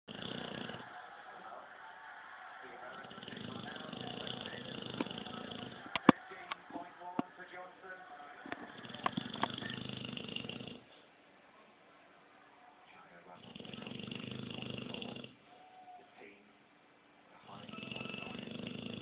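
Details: Doris, a sleeping Clumber Spaniel, snores with long rasping breaths lasting several seconds each. Brief quiet pauses separate them, and faint clicks and rustles come midway.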